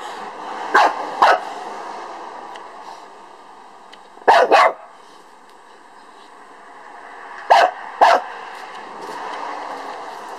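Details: A Lhasa Apso dog barks at a beetle in paired barks, three quick doubled bursts about three seconds apart, over constant background hum.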